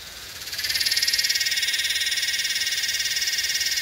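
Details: A yellowbelly cicada (Psaltoda harrisii) in Northern NSW, Australia, on 8/12/20 gives a loud, shrill, rapidly pulsing buzz that swells in and holds steady.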